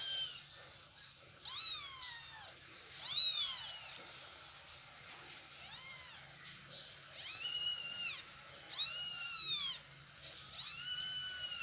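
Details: Meowing from a mother cat moving her kittens; clear arched calls with strong harmonics, a few long descending ones early, then louder bursts roughly every one to two seconds toward the end.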